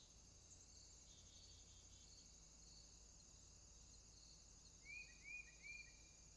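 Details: Crickets at night in a swamp produce an unbroken high-pitched shimmering drone, joined near the end by a run of three rising whistled notes from another animal.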